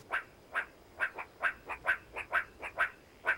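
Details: A meerkat gives short, squeaky chirps in a steady series, a bit more than two per second, apparently calling to the rest of its group outside.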